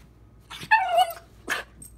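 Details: Dakota, a female puppy, talks back to her owner: a short, clear, tonal whine that slides downward, followed by a brief rough yelp after a pause. The room is otherwise quiet.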